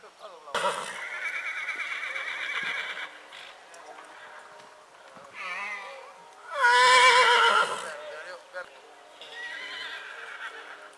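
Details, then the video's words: Purebred horse neighing in spring, a series of trembling, harmonic whinnies: a long wavering call, a short burst, then the loudest quavering neigh followed by a softer tail. "CABALLO PURO RELINCHANDO"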